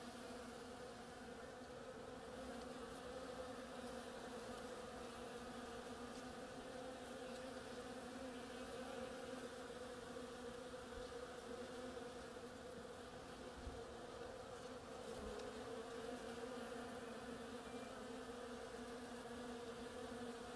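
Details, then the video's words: Bees hard at work on the flowers of an oriental creeper, giving a steady, unbroken hum with a strong low drone and a brighter overtone above it. The buzzing stays even for the whole stretch with no other clear sounds. "Bees hard at work on my oriental creeper"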